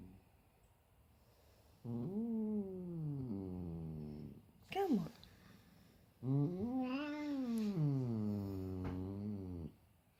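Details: Domestic cat meeting his little brother for the first time indoors: two long, drawn-out meows, each rising then slowly falling, the second starting about four seconds after the first, with a short sharp squeak between them.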